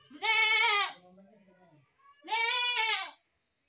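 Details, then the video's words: Young goat giving two strong nasal bleats, each lasting close to a second with a slight tremble and downward fall, separated by a soft low grunt-like sound. "best goat sound in the world | goat sound"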